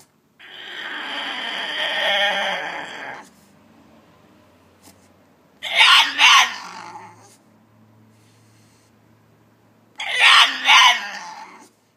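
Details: Indoor French Bulldog pleading to be let out of a cage with speech-like vocalizing: one long, steady moaning whine of about three seconds, then two shorter, louder, broken yowls several seconds apart, with a faint low hum between.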